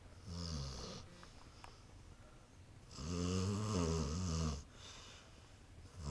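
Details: Sleeping on a couch, the dog Lexie, who sometimes sleeps with eyes open, gives deep rattling snores: one shorter snore, a pause with faint clicks, then a long, loud, vibrating snore.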